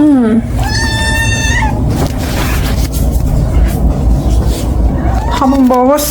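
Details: Munchkin cat Rang, an indoor pet upset after its owner went out, gives a falling meow, then a long high held tone, then more wavering meows at the end over a loud low rumble.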